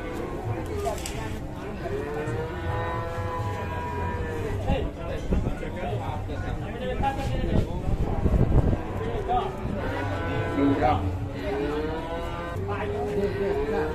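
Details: Enraged cow held by three cattle handlers, giving long, curving moos that rise and fall, several clustered near the start and end, over background music and low engine-like rumble.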